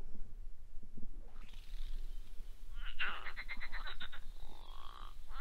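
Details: At a reed-bed stretch of the River Crane, London, a marsh frog gives its odd, rattling, laugh-like call over a low rumble of background noise.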